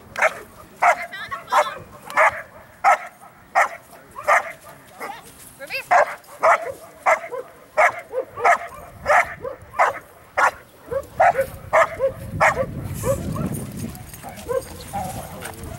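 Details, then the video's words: Female Belgian Malinois at IPO training on April 27, 2014, running blinds and doing bark and hold while preparing for IPO1; loud sharp barks repeated steadily about every half second, with a person talking and rustling background noise later. "IPO Training"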